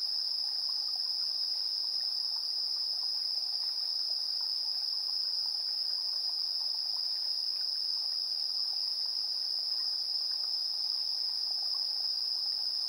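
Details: Evening insect chorus at 7:04 PM, 3 September 2022, captured with a handheld recorder's built-in stereo mics: one unbroken, very high steady trill dominating throughout, over a soft background hiss.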